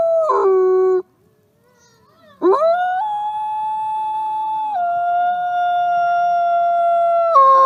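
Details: Wolf howl: a held tone breaks off, a brief pause, then a new howl sweeps sharply upward and holds long and steady, stepping slightly higher midway before a final drop.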